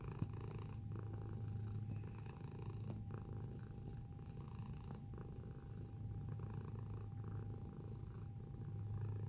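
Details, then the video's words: Steady purr from a domestic cat filmed close up, a deep buzzing drone with gentle breath-paced swells and one sharp tap at the start. "Feline Observational Video - Purring Sound Effect"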